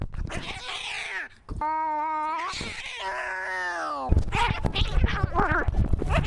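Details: Maxwell the cat screaming, a clear tonal wail held about two seconds with slowly falling pitch, framed by rougher cries and scuffling noises.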